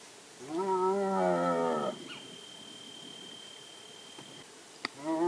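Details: In India, a striped hyena gives a drawn-out, harmonic moaning call that swells, then falls away before starting again.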